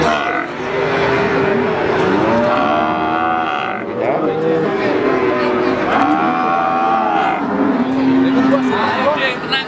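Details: Several lowing calls from adult feeder cattle at the Pati cattle market, Pasar Sapi Wagenan, Indonesia, 5 March 2019. Moos rise and fall one after another over steady crowd talk and the bustle of traders.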